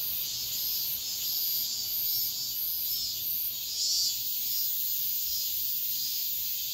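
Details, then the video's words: Cicadas at dawn in midsummer give a dense, steady, high-pitched buzz with faint pulsing swells. "새벽매미소리를 들어보자"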